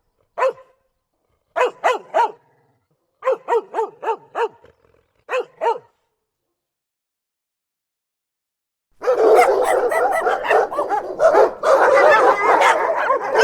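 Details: Rottweiler dog barking aggressively: single sharp barks, then quick groups of three to four, followed after a pause by a dense, loud stretch of continuous harsh barking and snarling.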